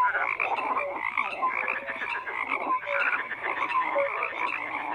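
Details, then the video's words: Numerous frogs croak at once, a steady wall of harsh pulsed calls threaded with brief pure notes, constant and even in loudness. "FROGS CROAKING"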